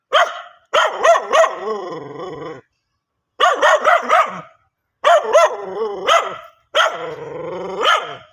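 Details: A dog barks in quick volleys of three or four strong, ringing barks, each burst trailing into a drawn-out whining tail before a short silence.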